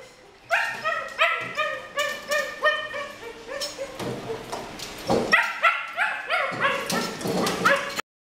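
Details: Purebred female Rottweiler at Pleiku, Vietnam, gives repeated shrill yips and whimpering barks, several per second, overlapping in uneven bursts, with a brief pause midway before resuming and stopping abruptly.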